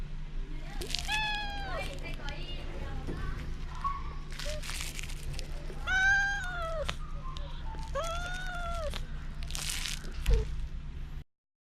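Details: A stray cat on Bise's Fukugi tree-lined road in Okinawa, Japan, appeals loudly; three clear, rising-then-falling meows spaced a few seconds apart, with people chatting and a steady low hum underneath, filmed with a GoPro 9.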